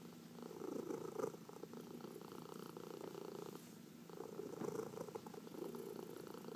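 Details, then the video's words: Domestic cat, one of four pets, purring under a massage; continuous low rumbling purr with two louder swells, the second near four seconds, faint handling sounds in a quiet room. "Four Purring Cats — Cat Massage"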